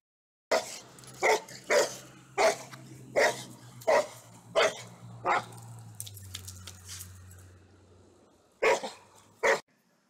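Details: Pit Bull in a funny compilation barking steadily, about one sharp bark every second for eight barks, then a pause and two final barks, with a low droning hum beneath the first half.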